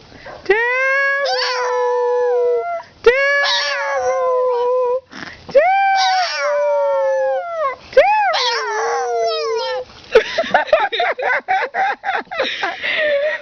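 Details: Small female dog vocalizing in a 'talking' way during a care visit at home, said to be calling a boy: long, sliding, whining howls held for one to two seconds with pauses, then rapid choppy yips near the end.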